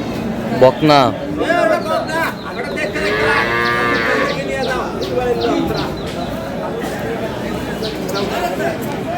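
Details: Dairy cows and calves at Aftabganj cattle market in Dinajpur, Bangladesh: several overlapping harmonic moos, some rising and wavering, amid market chatter.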